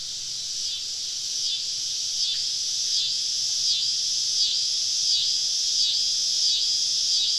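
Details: Cicadas swarming a woodland campsite on a southern summer evening, their high buzzy chorus throbbing in regular surges roughly every three-quarters of a second and slowly building in volume.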